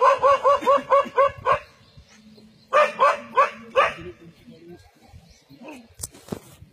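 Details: A dog in a forest standing its ground against a leopard, giving a rapid run of seven loud, sharp barks, a pause, then four more, fading into quieter sounds and faint voices.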